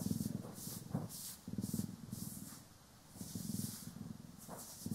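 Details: Cat Poki or Kiwi purring during grooming and brushing, recorded in stereo; low pulsing purr arrives in short bursts with a quiet pause near the middle, overlaid by soft hissy brushing strokes.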